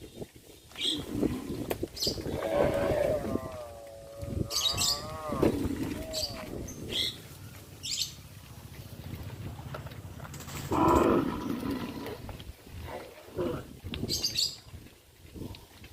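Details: Village farm cattle on the road by fish ponds toward grazing land: wavering, drawn-out lows rise and dip amid a busy, noisy background with clicks and knocks, plus scattered bird chirps and a loud burst near the middle.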